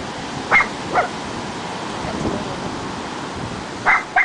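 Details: A Cairn Terrier meeting the ocean barks at the incoming waves, giving short, sharp barks in pairs over a steady roar of surf.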